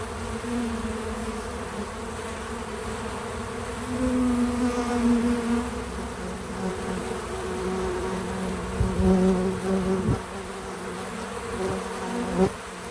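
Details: Bees visiting a feeder, recorded with natural, untouched audio: a steady low buzz with several layered hums that swell louder around four seconds and again near nine to ten seconds, with occasional soft knocks and no music or voices.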